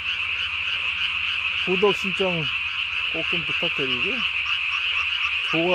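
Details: Japanese tree frog calling at night on 3 May 2020, throat vocal sac inflated as large as its body; bursts of low, stacked, nasal croaking notes over a dense, steady high-pitched frog chorus.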